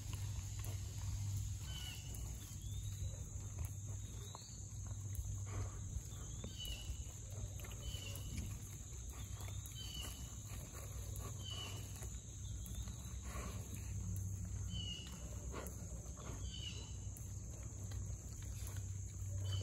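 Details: Four young Mangalitsa pigs rooting up a forest floor after heavy rain: low grunts and snuffling amid rustling and digging noises, with small birds chirping repeatedly in the background over a steady low hum.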